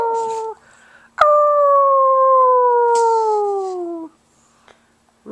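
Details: Pet pug letting out a loud, sustained howl of about three seconds that slowly drops in pitch, preceded by a shorter tone and followed by quiet.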